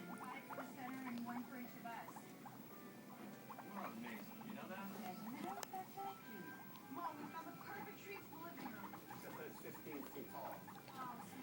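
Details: Two pet guinea pigs making noise indoors, giving high squeaky chirps and short whistled squeals scattered through the clip, with television speech and music playing throughout.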